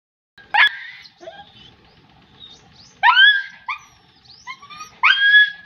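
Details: German Shepherd puppy giving a few high, yelping barks, a sharp one near the start then a cluster of rising, whiny yips and short barks toward the end, separated by quiet gaps.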